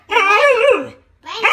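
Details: Female pet dog 'talking', a vocalization described as speech-like: a wavering, moaning howl with rich harmonics lasting almost a second, a short silence, then a second rising moan beginning.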